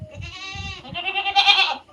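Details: Native country goat bleating twice in quick succession: a wavering, nasal bleat with rich harmonics, then a louder, harsher, strained bleat that fades out. Soft low thumps sit underneath.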